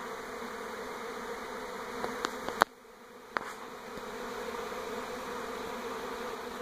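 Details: Honey bees swarming around a home in NE Portland in 2018 while moving from an old hive to a new one: a steady, dense droning hum, broken by a few sharp clicks and a brief dip before the hum resumes.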